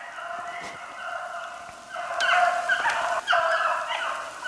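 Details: Beagles on the trail of a snowshoe hare in steady rain, 8 March 2016, with Spade leading the pack; overlapping drawn-out bays build in strength halfway through, the voices merging into a dense ringing chorus.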